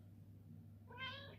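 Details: A single clear meow, bright and slightly descending, from a Ragdoll cat requesting its morning treat indoors, with a low steady hum behind and a man coaxing it to come get the treat.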